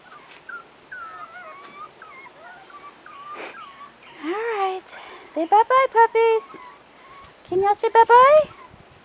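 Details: High, sliding whines from 4.5-week-old Rottweiler puppies on their first trip outdoors, starting soft and broken, then louder harmonic yelps in quick bursts of four or five toward the end.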